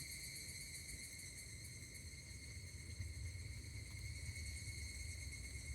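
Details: Higurashi cicada at Kashima Jingu shrine in Kashima, Ibaraki, Japan, recorded 16 August 2024: a continuous shrill buzzing tone holding an even pitch with bright overtones, with a constant low hum underneath.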